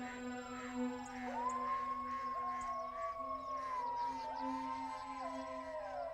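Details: Gray wolves howl in long, sliding, overlapping tones over a low musical drone.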